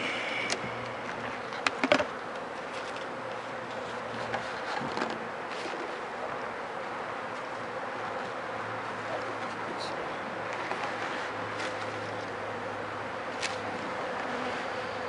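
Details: Steady buzzing of many bees around a hive where wet dead bees lie after four days of rain, inspected for sickness; continuous hum with scattered clicks and taps, a louder cluster of knocks early on.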